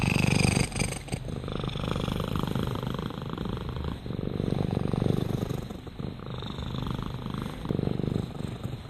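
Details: A purring domestic cat, Rama: continuous low rumbling vibration with rhythmic pulses, strongest at the start, breaks between breaths near one, four and eight seconds.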